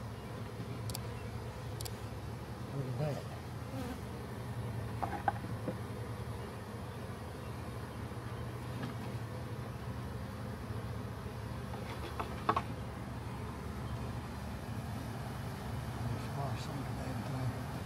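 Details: Swarming honey bees in a backyard, being captured and set onto hive frames; an unbroken low humming drone runs throughout, punctuated by scattered clicks and light knocks from handling.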